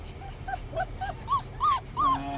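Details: Six-week-old Saint Bernard puppies on their first car ride, on the way to the vet, piling onto each other: a run of short arched whimpers that grow louder and higher, the last three loudest, over low engine rumble.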